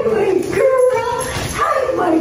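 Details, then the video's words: German Shepherd named Mamba whining during a reunion with its owners: a high, wavering, nasal whine that rises and falls continuously, with voices faintly mixed in. "Mamba’s Owners Reunion | German Shepherd | GSD"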